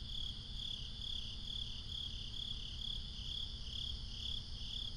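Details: Crickets chirping at night in binaural nighttime ambience, a steady high-pitched pulsing trill repeating a bit over twice a second, with a layered constant insect hum above and a low rumble of background noise beneath.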